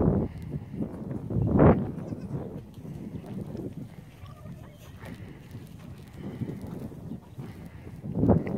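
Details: Young goat kids bleating: two loud, wavering, harmonic bleats, one early and one at the very end, with softer low bleating and a steady low rumble of background noise in between.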